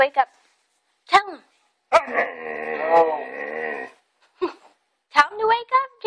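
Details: {'animal': 'dog', 'text': "Pet dog waking its owners in the morning, giving a drawn-out whining, howl-like call of about two seconds with stacked harmonics, amid short excited yips and a person's voice saying good morning indoors."}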